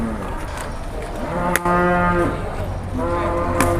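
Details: A big bull at Boyolali's Jelok cattle market, Indonesia, reluctant to climb an uphill path in the morning; a steady, deep harmonic moo holds for about a second, then another starts, over background chatter and sharp knocks.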